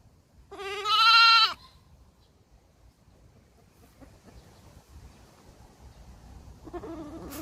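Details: Baby goat giving a single loud, wavering bleat about a second long with rich harmonics, followed by quiet background hiss and a faint second bleat starting near the end.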